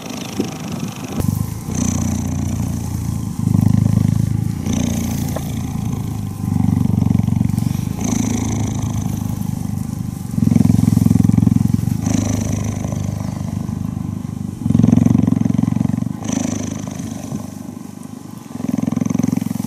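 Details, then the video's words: Cheetah purring while cuddling: a deep, continuous rumbling purr in alternating louder and softer phases, shifting every one to two seconds as the animal breathes in and out, with faint higher rustling above. "Cheetah Cuddling & Purring"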